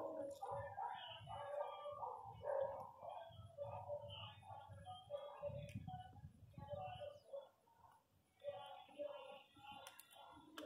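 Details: Newborn miniature pinscher puppies crying: a dense, overlapping chorus of short, high, whimpering squeaks, nearly continuous, over soft low rustling and handling noise.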